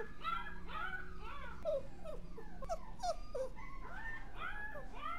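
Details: Dog whimpering and whining softly: a series of high, arching, tonal cries that rise and fall, several per second, over a low steady hum.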